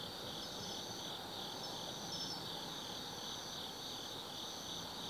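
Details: Insects of an autumn night at Tsukimi no Mori lookout, Kaizu, Gifu, Japan: unbroken high-pitched ringing trills, a few scattered sharper chirps, and faint low rumble underneath.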